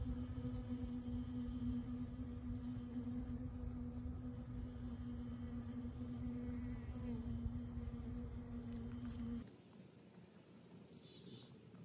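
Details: A bee on World Bee Day gives a steady, droning flight buzz with a clear low hum and overtones for about nine seconds, then it stops abruptly, leaving only quiet background.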